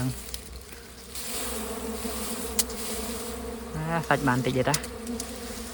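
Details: Honey bees buzz during a wild honey-gathering outing: a steady, low droning hum runs throughout, with a man speaking briefly near the end and a few sharp clicks.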